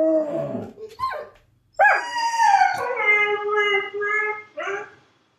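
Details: Dog giving a long howl that starts with a sharp rise, then holds a level wavering note for nearly three seconds before a short final wail; earlier whining sounds and possible voices are heard before it.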